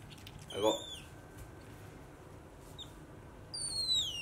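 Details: A pet otter doing a chin-rest and roll-over trick gives a high, squeaky chirp that slides downward, then, after a quiet pause, a longer falling whistle-squeak over faint room hum.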